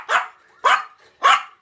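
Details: A 2-year-old female Yorkshire Terrier gives three sharp, high barks about every half second, begging for leftover Christmas dinner ham.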